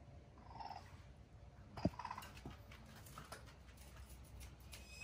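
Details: Rescue raccoon family from 2020, mother Edith with her three young kits staying close together despite fireworks nearby; soft, short tonal chirps with a brief sharp click, over low indoor rumble and faint scuffling.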